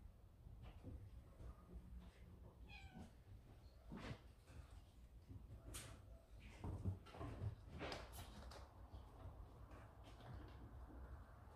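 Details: A baby yard cat, frightened by another cat at the door, gives brief, thin meows over a low background rumble.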